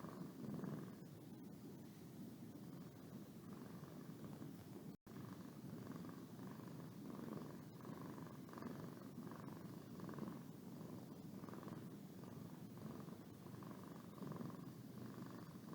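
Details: Boo, a pet cat, purring while yawning: a steady low rumbling purr throughout, with soft pulsing bands repeating roughly every second and one brief dropout midway.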